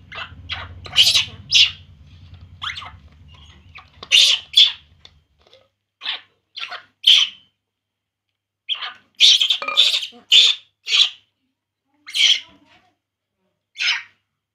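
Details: Crying from baby monkey Poo during milk drinking: a long run of rapid, piercing squeals, clustered in quick flurries then spaced out, with low rumbling noise early on before quieter gaps.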